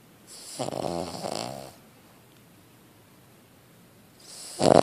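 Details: A sleeping Cavalier King Charles Spaniel snores: a long rough rattling inhalation lasting over a second, a quiet pause, then another breath starting loudly at the end.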